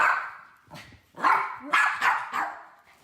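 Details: Miniature poodle Teddy, a pet that hates its harness seatbelt and runs and hides every time, with a second dog, Wolfie, nearby; a loud sharp bark, then a gap and a burst of three or four quick barks.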